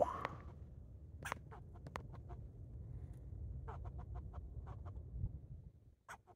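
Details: Rocky the squirrel barking while jumping from tree to tree: short, sharp, clicky barks in two uneven bursts, fired off several per second with brief pauses between, over a low steady background rumble.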